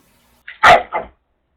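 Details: Female Jindo dog harassing a male as he runs up, he tolerates it; a soft lead-in yelp then one loud sharp bark followed by a shorter second bark, all within half a second.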